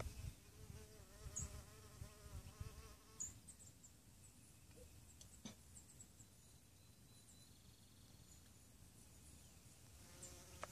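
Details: A carpenter bee nesting in brick, among many around, gives a low, droning wing buzz that wavers as it passes close.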